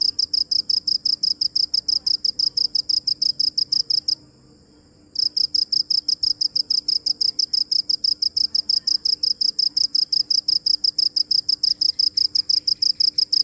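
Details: High, piercing cricket chirps pulse in a fast, regular rhythm, stop for about a second, then carry on steadily to the end over a quiet low hum.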